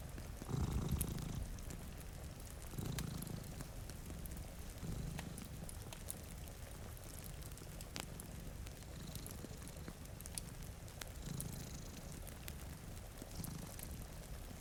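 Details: Two cats sleeping in front of a rainy window give a low rumbling purr, strongest in the opening seconds and then fading to a softer drone beneath steady rain and scattered fire crackles.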